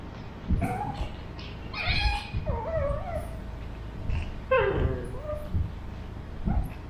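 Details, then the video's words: A 13-week-old male Pug, Burrito, in animated back-and-forth with Vanta, a two-year-old female mixed Shih Tzu; drawn-out whining cries that bend up and down in pitch, mixed with a few short yips, in two main bursts. "Puglet and Shih Tzu have a conversation"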